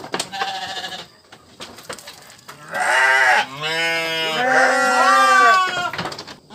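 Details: A faint bleat and some shuffling noise, then a loud, long quavering sheep bleat with a second bleat overlapping it, fading into quiet.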